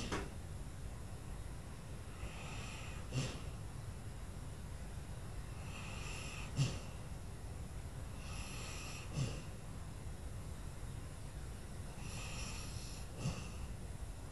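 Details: Lula, an old dog, sleeping on her bed at Christmas, snores steadily: a low rumbling breath with sharper snorting peaks roughly every three seconds, indoors in a quiet small room.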